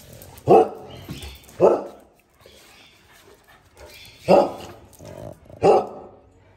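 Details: Pet male pug, a small and very active dog, playing with its owner, recorded on an iPhone 13 Pro Max: four sharp, full barks at uneven intervals, two close together early and two later, with quiet room noise between.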